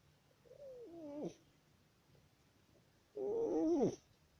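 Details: Sleeping male cat snoring, recorded on 10 October 2019: two nasal, wavering snores less than a second long, the second louder and rougher, separated by a two-second quiet pause.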